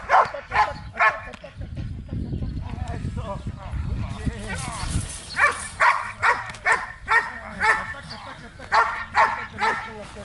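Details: Belgian Malinois at protection training in Zumpango, State of Mexico, barking repeatedly in rhythmic bursts after a stretch of low rumbling noise and a man talking.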